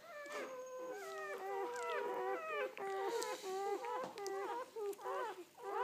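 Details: Newborn Belgian Malinois litter, seven puppies one day old born 29 October 2014 to Fidji and Hot Dog, uttering rapid bursts of short, stepped whimpers and yelps, roughly one and a half per second, several pups at once.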